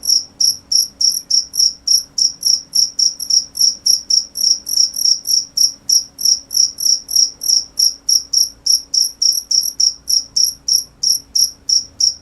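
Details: Loud high-pitched cricket chirping, a rapid, fairly regular train of pulses at about three and a half per second in an otherwise quiet setting.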